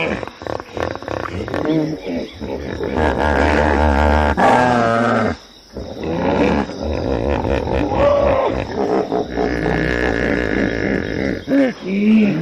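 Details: Hippopotamus chorus of rapid, pulsing grunts and drawn-out harmonic bellows, nearly continuous and loud. One sharp pause falls midway, then the honking resumes, ending with a few rising tonal calls.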